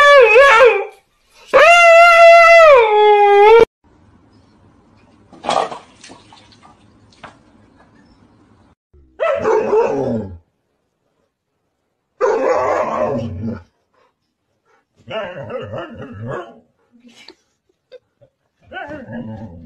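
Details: Husky dogs vocalizing: two loud, harmonic howls in the first few seconds, the second held steady for about two seconds, then a series of shorter, rougher yowls and grumbles separated by quiet gaps.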